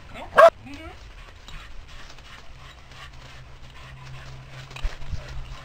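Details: Old Border Collie cross teased by a squirrel gives one sharp, loud bark near the start, then falls quiet; low rumbling background noise and faint soft sounds fill the rest.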